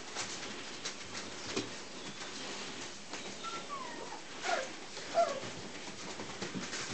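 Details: Three-week-old Siberian Husky puppies at playtime; a few faint, brief whining squeaks, some sliding downward in pitch, around the middle of the clip, over a quiet room with soft rustling and light bumps.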